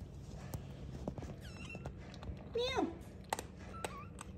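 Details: Kittens mew in a small room: brief high chirping mews, then a louder harmonic cry sliding downward, and a short final mew, with a person talking softly and light knocks nearby.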